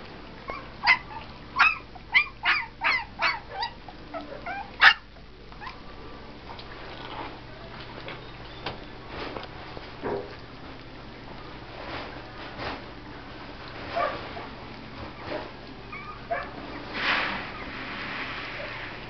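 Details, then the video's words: Blue and red heeler puppies, Australian Cattle Dogs from winter 2011 litters, eating alongside half-sibling Texas Heeler pups. About eight sharp, high yips come in quick succession over the first five seconds, followed by softer scattered squeaks and feeding noises. "Blue and Red Heeler Pups Eating with their half siblings Texas Heelers"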